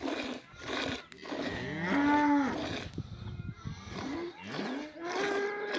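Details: Cow in a village lowing: a drawn-out harmonic moo swelling near the two-second mark, shorter bending calls before it, and another rising, wavering moo toward the end, with breathy rustling noise between calls.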